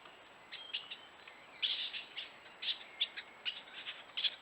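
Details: Wild stone martens mating in Geuzenbos, the male acting aggressively toward the female: shrill, high squeaky bursts come in irregular clusters, some doubled or tripled in quick succession, separated by short pauses over a quiet background.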